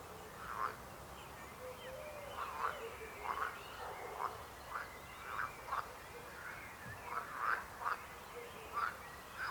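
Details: Steady chorus of frog croaks, rough nasal bursts coming roughly once a second and sometimes overlapping, with a few faint high whistled notes and soft background hiss.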